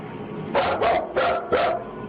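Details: Full-grown dog barking nervously, keeping its distance and refusing to go past a line as it retreats toward the door; four clipped barks in two pairs, with faint background music.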